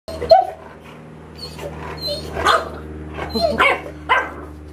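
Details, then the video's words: Puppy challenging a boxer, Hercules the Bulldog present: a few short, sharp barks and yips spaced through the clip over a steady low hum, with faint background noise. "Puppy challenges boxer"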